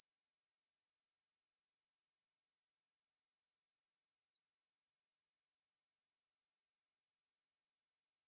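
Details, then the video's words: Continuous shrill buzzing of the conehead katydid known in Korea as aemaeburi, from 2020 National Institute of Biological Resources material; the sizzling tone runs steadily for over eight seconds without breaks, with nothing else audible. "애매부리, 여러번 듣기, 곤충소리"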